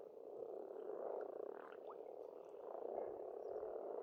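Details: Spring frog chorus from a pond in Estonia, a steady, thick, purring croak with slight swells in loudness; a few faint bird notes sound high above.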